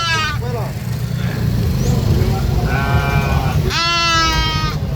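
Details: A young goat lets out strained, quavering screams, one at the start and a longer one near the end, with a softer bleat between them. A constant low rumble, like an engine or wind, runs throughout.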